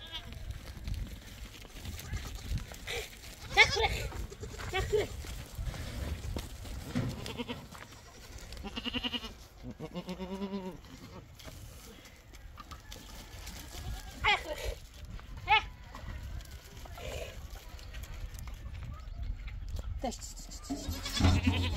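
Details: Farm goats being told to step aside so the chickens can get at scattered seeds; a clear quavering bleat stands out midway, with fainter bleats around it, under continuous family chatter and outdoor bustle.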